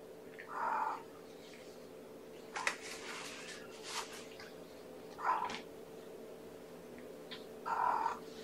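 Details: Indoor kitten from mama Gamora's litter of five, born April 14th, grooming a finger after breakfast: three short, evenly pitched mews spaced a few seconds apart, with rustling and handling noise between them and a constant low hum.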